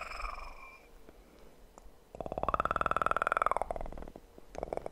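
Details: Kitten purring for an ASMR recording: quiet at first with a faint tone, then from about two seconds a loud, rapidly pulsing purr with a brief higher tonal overlay, fading before the end.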